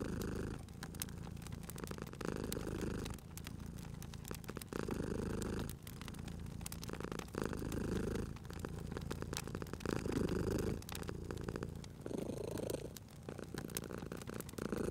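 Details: A sleeping domestic cat purrs beside a crackling fireplace in a cozy spring setting: a low, rumbling purr swells and fades in steady breath cycles of about two seconds, with sharp pops and snaps of burning wood throughout.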